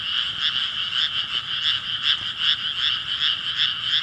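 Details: Frogs calling together in a thick chorus. Rapid throbbing croaks swell and fade about two or three times each second over a continuous raspy drone.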